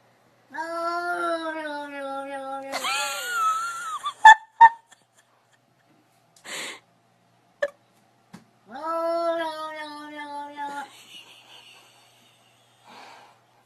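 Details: Two long, drawn-out meows from a pet cat, the first wavering and breaking into a higher cry, separated by sharp clicks and knocks; a person reacts with alarmed exclamations afterward.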